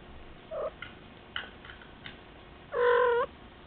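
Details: A pet kitten meowing indoors: a brief high mew, a few faint chirps, then one louder drawn-out meow with rich harmonics near the end.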